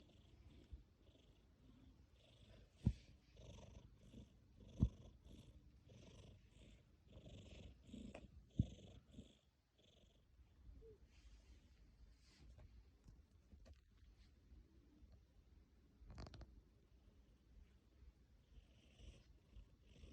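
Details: Sleeping tabby cat rumbling a deep purr mixed with snoring, breath cycles roughly every two seconds, a few sharp clicks early on, the purr fading softer in the second half.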